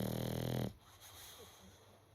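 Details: Boxer pup asleep, snoring: one loud, buzzy, low snore with strong harmonics lasting about 0.7 seconds, then quiet breathing and faint room noise.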